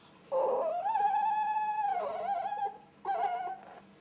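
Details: Ferret hob and jill during flirting and mating, kept indoors: a loud, drawn-out whining squeal holds steady for about two seconds with a slight wavering dip, then a shorter second whine follows after a brief pause.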